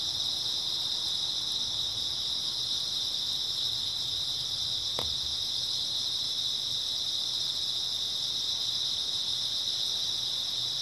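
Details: Continuous shrill chirring of many grass insects at night in early autumn, steady and unvarying throughout, with a single brief click about halfway through.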